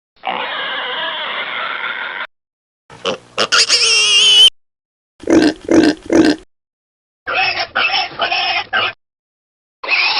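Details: Pigs with suckling piglets: a long rasping whine, a shrill rising squeal, three short deep grunts, then a scratchy pulsed bout and another squeal beginning, with silent breaks between pieces.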